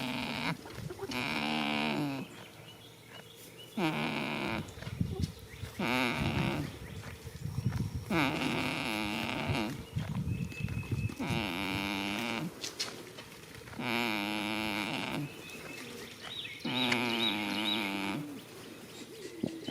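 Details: In a field on the first day of spring, a sleeping goat snores steadily, about seven buzzy, harmonic breaths spaced two to three seconds apart, some wavering up and down in pitch.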